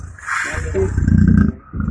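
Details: Caged man-eating tiger that had killed nine people, trying to pounce: a short deep rumbling growl swelling in the middle with a pulsing low throb, then a brief second rumble, with a faint higher hiss at the start.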